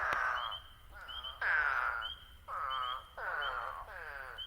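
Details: In the New Jersey Pinelands, eastern spadefoot toads give harsh, wavering "waaah" calls, about six in quick succession from more than one toad. Thin, high spring peeper peeps are scattered between them.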